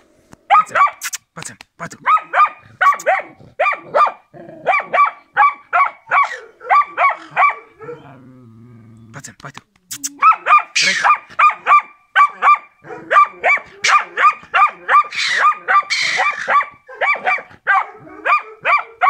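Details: Karelian Bear Dog Rex during training, barking in long, steady rapid series; a brief lull with low rumbling near the middle, then continuous barking resumes, some calls harsher.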